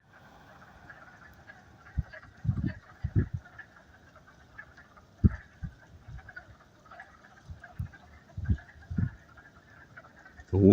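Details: Wood frogs (Lithobates sylvaticus) give low, duck-like clucks in short bursts over a steady background rush in a wooded vernal pool near a stream, arriving shortly before spring peepers; they fall silent if approached.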